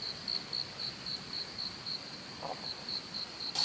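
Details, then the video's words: Crickets at a campsite in a pine forest in Benguet, heard at about 5:38 in the morning: a steady, high-pitched pulsed chirp repeating roughly four times a second over soft background hiss, with a brief rustle near the end. "Sobrang sarap sa tenga ng cricket. Pakinggan."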